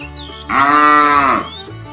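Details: Tame cattle from a herd setting off on a long journey toward fresh pasture; one loud, steady moo of about one second with rich harmonics, slightly falling at the end, over a faint background hum.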